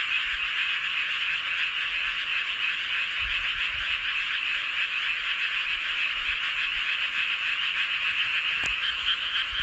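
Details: Many frogs calling together beneath the full moon in Seowon-myeon, Hoengseong County, Gangwon Province; constant shrill croaking chorus with a rapid, loosely rhythmic pulse, level and unbroken, a short sharp tap near the end.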